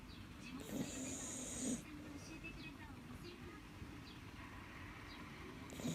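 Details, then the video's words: Akita Inu named Rin-chan, a pet dog resting after a day of home guarding, snoring loudly: a long breathy, rasping snore from under one to nearly two seconds, then a quieter stretch and another snore starting at the end, over a steady low indoor hum. "Big snoring Rin-chan [Akita Inu]"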